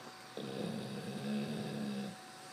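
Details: Eve, a pet dog, snores asleep on a bed: a single drawn-out, low, buzzing, growl-like breath of nearly two seconds in a quiet room.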